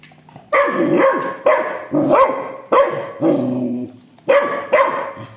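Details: Dog barking during a fight over a toy between an aggressive Rottweiler and a two-month-old Labrador puppy: about seven sharp, loud barks, often in quick pairs, with brief pauses between them.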